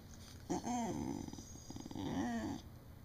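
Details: Beagle indoors vocalising as if trying to tell its owner something: a two-second run of low, wavering, talk-like grumbles and moans in a small quiet room, with a faint steady tone in the background.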